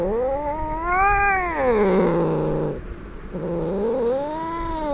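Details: Angry, aggressive domestic cat caterwauling in long, harmonic-rich moans. Each swells upward, arches and sinks again, with a rougher, broken stretch midway before a final rising-then-falling wail.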